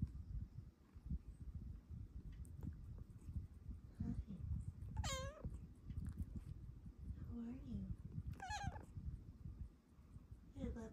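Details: A female Bengal cat gives several short, bending meows and chirps while cuddling in the morning, unusual noises not heard before, as a woman speaks softly to it.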